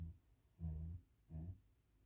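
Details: Max, a Great Pyrenees dog, asleep indoors after playing at the dog park, gives two low, rumbling snoring breaths, each about a third of a second long and half a second apart, in a quiet room.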